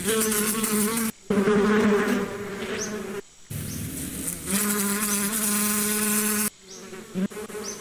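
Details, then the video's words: Calming sound of bees: loud, close wing buzzing in several bursts with abrupt pauses between, the hum steady and deep with a faint rise at times. "Relax with the sound of the bees"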